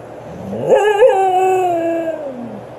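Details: Husky being scolded by its owner after making a mess gives one drawn-out, whining howl. It swoops up, wavers briefly, then glides slowly downward for about two seconds, with a quiet room behind.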